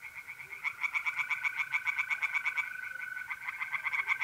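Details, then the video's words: At a north-east Italian pond on an April night, tree frogs chorus with quick repeated pulsed croaks, slightly uneven in rhythm, against the unbroken trill of mole crickets. "relaxing singing tree frogs in pond and trilling mole crickets by night"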